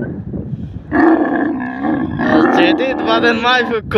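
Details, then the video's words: Desert camel voice: after a quiet start, a loud, rough, roaring moan rises and holds, then turns more ragged and gurgling toward the end. "camel voice sounds"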